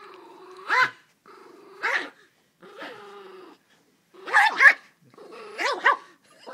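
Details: Pet dog playing with its family, tail wagging, recorded on an iPhone: drawn-out, droning growls alternate with sharp, rising yelping bursts, roughly one outburst each second with short silent gaps.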